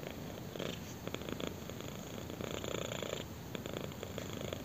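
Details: Kitten purring intensely while being scratched on the chin, indoors; a steady low rumbling purr with pulsed bursts of broader rasping texture rising and falling in waves through the clip.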